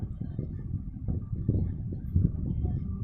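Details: A steady low engine-like rumble dominates throughout, with no animal voice audible.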